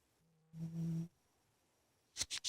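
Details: Ninnie, a big pet cat, asleep in his bedroom: a single low, droning snore of about half a second rises out of a faint hum, followed by quiet and then three sharp clicks near the end.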